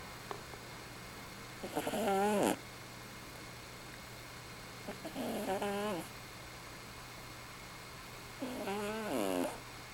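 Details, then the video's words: Domestic cat snoring while asleep at night, a habit repeated nightly; three wheezy, nasal breaths with a quavering harmonic edge, each lasting under a second, spaced about three seconds apart over a faint steady hum. "Snoring cat"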